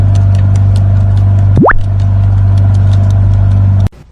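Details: A steady low engine-like hum with faint ticking and one quick rising electronic sweep, with no animal voice. The hum cuts off abruptly just before the end.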